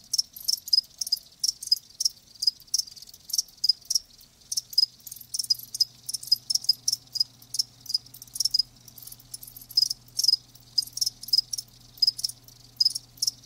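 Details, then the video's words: Steady shrill chirping of live crickets, rapid pulses about three per second, with a faint low hum underneath in the second half. "Live Crickets 60min "Natural Sound""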